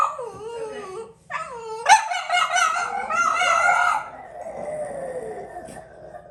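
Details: Several French Bulldogs howling: wavering, drawn-out high howls with rising and falling pitch. Voices overlap into a louder chorus in the middle, then one lower howl slowly fades.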